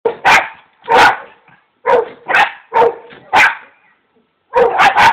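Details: Jack Russell Terrier barking at a neighbour's Boxer: sharp, loud barks in uneven bursts, single and doubled, about eight barks with brief pauses and a final quick triple.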